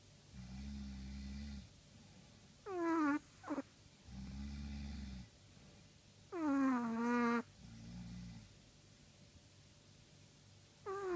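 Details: Chihuahua asleep and snoring, giving deep droning inhales and shrill, falling whistled exhales, sometimes broken by a short extra squeak. Breaths come about every four seconds, with nothing else audible.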